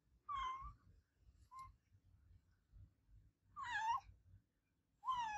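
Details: Adopted pet cat meowing loudly indoors: three clear, nasal meows with arching pitch, the first short and falling, the later two longer and wavering, separated by quiet gaps with faint low rumbling background.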